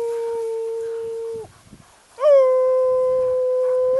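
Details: Irish Wolfhound howling in July, prompted by its owner, with horses nearby coming to investigate; two long, steady, clear howls, the second starting with a short upward swoop, then holding level, separated by a brief pause.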